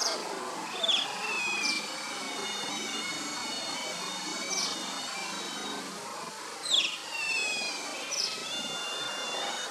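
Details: Playing pups of the Asian small-clawed otter, also called Oriental small-clawed otter, give drawn-out wavering whistles rich in overtones, sliding slightly downward, broken by brief sharp chirps; two such bouts about six seconds apart over faint background hiss.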